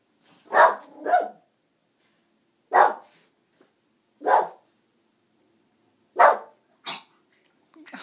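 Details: Brussels Griffon house dog, just after a new haircut, barking in a broken series: a quick double bark, then single barks spaced one to two seconds apart, six or seven barks in all, indoors and otherwise quiet.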